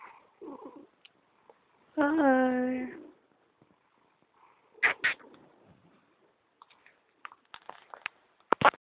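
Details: Pet cat making odd noises indoors: a single drawn-out, wavering yowl with stacked harmonics lasting about a second, followed by clicks, rustling and a person talking.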